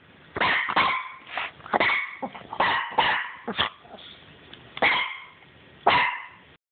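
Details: Pet Chihuahua, upset and barking each time its owner says the name of another dog: about eight sharp, harmonic barks in irregular bursts over six seconds, with softer whining sounds between them.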